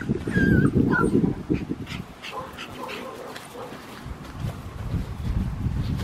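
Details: Four-and-a-half-week-old male black tri Australian Shepherd puppy with one blue eye and one green eye, wearing a collar, from an Oklahoma breeder; a couple of thin high whines at the start, then rustling handling noise, wind and soft human speech.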